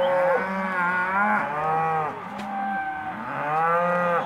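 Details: Hereford and black-baldy cows at an auction lot, several long harmonic moos overlapping, each about a second, rising then falling, with deeper lows beneath.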